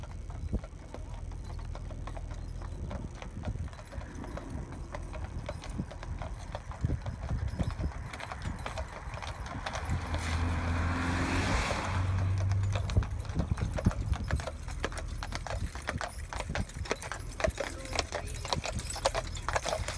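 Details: A pair of Clydesdale horses driven in harness by their owner, visiting from Scotland: steady clip-clop of hooves, about four beats a second, over a low rumble of wheels, with a brief hiss midway.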